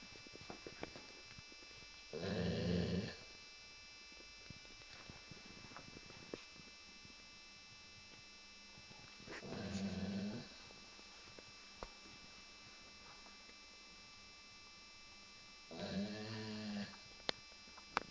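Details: Sleeping pet Labrador Retriever snoring heavily indoors, compared to a pneumatic drill. Three coarse, low, rattling snores come roughly every seven seconds, each about a second long, separated by near-silence with faint household hum.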